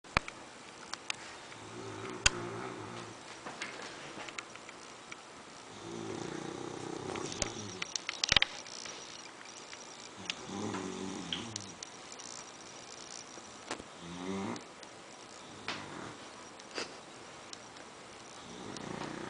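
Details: Lola, a pet dog, snoring so loudly it can be mistaken for a truck outside: rasping, rumbling breaths recur about every four seconds, each lasting a second or more, with scattered small clicks between them.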